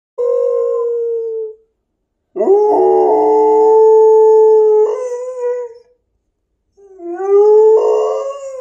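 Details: A female Wolamute (Malamute, Husky, White Swiss Shepherd and wolf mix) howls along while being teased about a hike, giving long, sustained howls with wavering pitch broken by short pauses.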